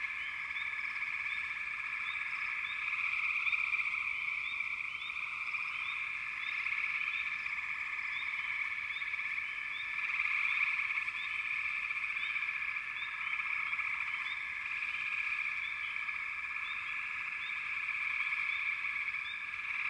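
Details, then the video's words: Frogs in full chorus for twenty seconds: a constant rattling trill swells and fades slightly, while many short rising chirps repeat rapidly throughout. "Frogs - Nature Sounds"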